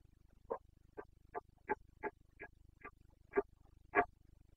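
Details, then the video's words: Carpathian red deer stag in the Bucovina mountains during the breeding season, 29 September 2022, giving the rutting call known locally as boncănit: a run of nine short, hoarse grunts about every half second over a low steady hum. "Boncănit / Carpathian stag Breeding season"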